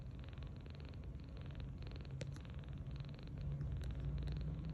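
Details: Tange, a rescued 39-day-old kitten, sleeps belly-up on a bed and snores softly: a low, rapid, rumbling pulse that runs steadily throughout, with a few faint clicks above it and the rumble swelling slightly near the end.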